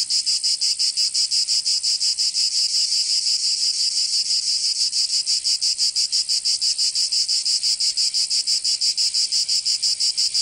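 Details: Provençal cicadas in summer, southern France, give a loud, shrill, continuous drone broken into regular quick pulses, roughly three each second, steady throughout with no other sounds.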